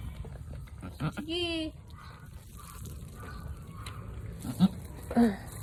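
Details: Nanny goat straining through a hard delivery of a big kid gives one clear, rising, harmonic bleat lasting about half a second, followed by a person's quiet soothing speech and a few softer bleat-like sounds.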